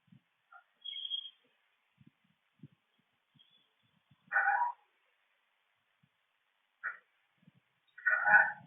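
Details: Raccoon (Procyon lotor) makes harsh, raspy squalls in short bursts separated by a few seconds of quiet, directed toward a possum.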